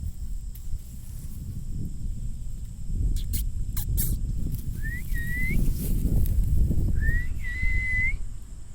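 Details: Two high, thin whines come from Lucy, a Rottweiler puppy, at night, each sliding up and then holding steady for about a second, over low wind or handling rumble and a few sharp clicks.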